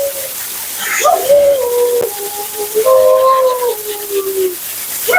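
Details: Dramatic Siberian Husky Mila talks through a bath and blowout at the groomer: a chain of wavering, sliding howl-talk notes, stepping up and down in pitch over about four seconds, with steady background hiss.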